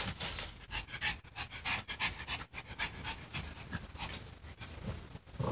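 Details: A white Pekingese that wants to play, with a Bengal cat nearby, pants in quick, breathy bursts, a rhythmic huffing with soft snuffles between breaths.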